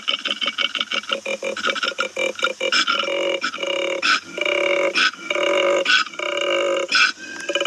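A koala gives a fast run of raspy pulses that turn into drawn-out, nasal, wavering wails, each lasting about half a second, with brief gaps between them.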